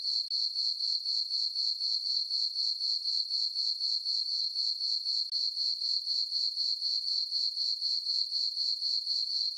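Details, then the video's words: Crickets in a moonlit summer meadow on a farm at night, giving a bright, narrow, rhythmic chirp about four times a second, very regular throughout with a brief pause past the middle, no other noise. "Cricket chirping sounds for sleeping"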